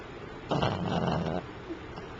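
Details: A sleeping pet Pomeranian snoring; one rough, rasping snore lasting about a second against a steady low hiss.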